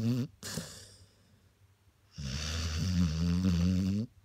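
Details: Snoring of Daniel the spaniel, asleep and pausing its breathing: a brief low rumbling snore, a quiet gap of almost two seconds with no breath, then a long, deep, vibrating snore that fades out at the end.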